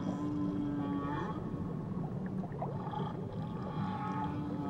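Whale song carries over a thick bed of low rumbling noise, with sustained held tones and brief upward-sliding moans. The calls overlap in layers, giving a droning, echoing texture.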